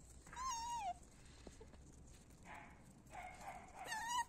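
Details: Male puppies of the Z litter at Mystic Bull Kennel whimpering: two thin, high, wavering whines, one early and one at the end, with softer muffled whining and a faint click between them.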